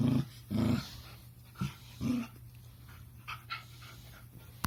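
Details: Puppy Kuma producing strange purr-like, pig-like noises: deep rumbling grunts in quick pairs at the start, two shorter softer grunts near two seconds, then faint breathy sounds and a sharp click at the close.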